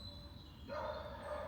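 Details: A distant dog, off the lead running through woodland near a frog breeding pond in Essex after chasing a duck, gives a single drawn-out bark with a mid-pitched, slightly hoarse tone.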